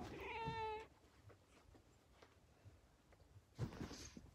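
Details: Female cat at home giving a short, loud, tonal scream lasting under a second, rich in even harmonics, followed by quiet room noise with a few faint clicks and a soft thump near the end.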